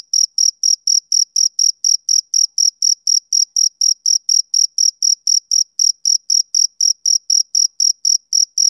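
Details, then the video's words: Male cricket chirping on a summer evening: a steady run of short, high, bright pulses, about four every second, each with a faint higher overtone, no other sounds. "Cricket Chirping Sound Effect"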